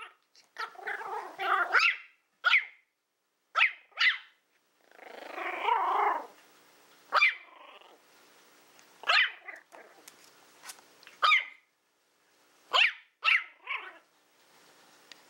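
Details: Willow, a Toy Fox Terrier born April 2012, playing with a pig's ear she is trying to figure out: longer rough growling stretches mixed with sharp high yaps, irregular throughout.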